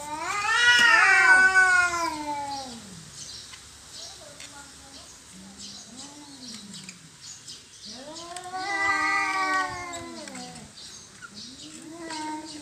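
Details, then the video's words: Domestic cats fighting over territory: long, wavering, harmonic-rich yowls swelling loud at the start and again near nine seconds, with quieter low moans and growls in between. "Kucing Berantem Rebutan Wilayah"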